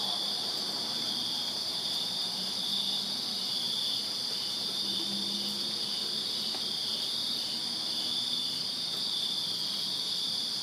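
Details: Backyard crickets on a Virginia summer night form a continuous high, ringing chorus without pauses, a thinner upper shimmer riding above, with faint low murmurs of distant background noise.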